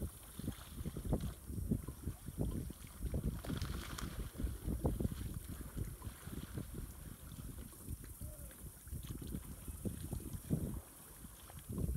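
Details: Wind buffets the microphone while paddles splash and knock against a kayak on open water; no animal voice is heard.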